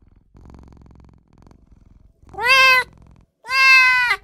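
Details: Tiny newborn kitten calling for its mother and owner: after a second of soft low rumbling, two loud, clear, harmonic mews follow, each lasting about half a second and holding a steady pitch.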